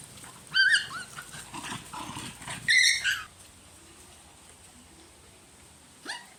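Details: Puppies whining as the mother dog plays boss and takes their toy: rising, high whiny cries in quick clusters, a louder yelping burst after a pause, a final short whine after several seconds of quiet.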